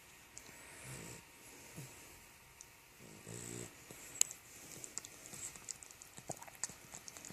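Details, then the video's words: A puppy lying asleep indoors gives a couple of soft, raspy snores, a short rattling burst near the middle, against faint clicks and rustles in a quiet room. "the cutest snoring puppy"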